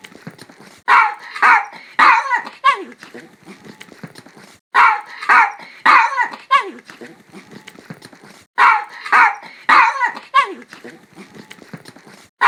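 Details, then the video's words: Dog giving harsh, rough barks in clusters of three to four, a pattern repeated about every four seconds, with a rasping, growly edge and a faint noisy background throughout. "dog barking sounds 狗吠聲 개 울음소리 犬の鳴き声"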